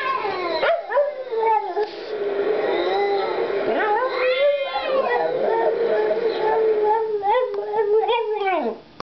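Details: Female Boston Terrier howling along to opera: a long drawn-out howl that rises at the start, holds a steady wavering tone, then bends downward, with swooping higher notes and opera music underneath.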